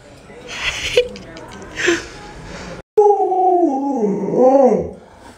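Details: Pet Alaskan Malamute Luoluo responding to its bedridden, sick owner. Indistinct voices and noise come first. After a brief silence, a wavering, undulating howl rises and falls in pitch for about two seconds.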